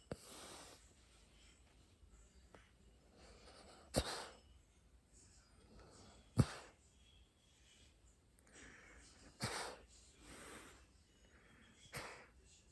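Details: A sleeping pet dog snoring: soft, breathy rasping breaths recur irregularly every few seconds, with several sharper snort-like bursts standing out above the quiet background.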